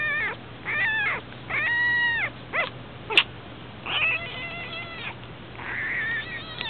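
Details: Abandoned newborn puppy, eyes not yet open, on its second day after being found: a run of thin, high, wavering whimpers and whines, some rising then falling, repeated every second or so, with a steady low hum behind.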